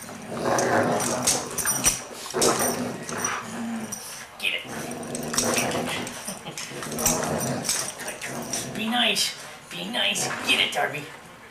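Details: Two dogs, a German Shorthaired Pointer and a Yorkshire Terrier, playing together: low rumbling growls in uneven bursts, some with rising and falling whine-like tones, over constant scuffling, clattering and rustling of the rough play.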